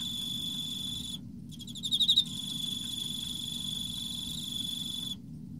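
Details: Emma field cricket in autumn, one clear pulsed chirp of about five swelling notes set within a sustained high, ringing tone that cuts off abruptly near the end, low rumble in the background.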